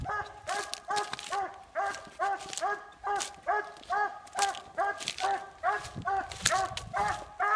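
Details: Treeing Walker Coonhound barking late at night after treeing, a steady run of sharp, ringing barks about two per second with clear overtones, the rhythm slightly uneven throughout.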